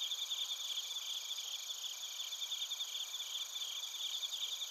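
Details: Bell crickets and other crickets from Narita in Chiba, Japan, recorded on a TASCAM Portacapture X8: continuous shrill ringing bands overlaid with quick, slightly irregular chirped pulses from multiple insects calling at once.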